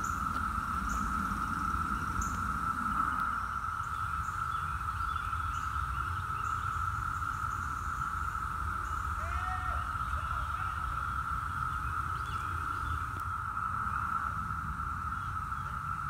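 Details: Brood X periodical cicadas, the 17-year brood, in Virginia in 2021, last present in 2004: a steady, unbroken droning chorus holds one high pitch throughout, with faint bird calls and a passing chirp mid-way, plus low rumbling background noise.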